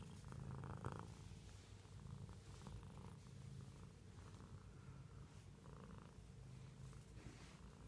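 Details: Domestic cat's continuous low purr, a rapid vibrating rumble rising and falling in breath-length surges, with a few light taps and handling noises.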